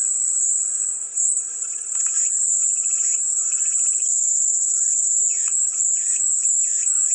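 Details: Cicada song as a dense, continuous high-pitched whine with a slight dip near the start, accompanied by scattered quieter pulsing chirps in a lower register.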